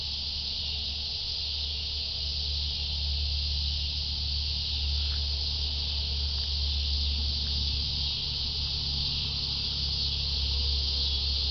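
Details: Cicadas in a continuous, steady, high buzzing chorus with no breaks, over a strong low rumbling hum and faint scattered clicks.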